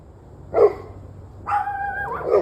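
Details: Barking dogs on the evening of 21 November 2023, 7:06 pm: a short bark, then a drawn-out tonal whining note that dips at its end, followed by another quick bark.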